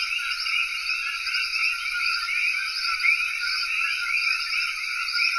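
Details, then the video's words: Common coqui chorus from Cayey, Puerto Rico: many frogs chirping at once, short rising two-part notes blending into layered bands of sound, no pauses, over an even high hiss. "Coqui Frog Chorus (Cayey, Puerto Rico)"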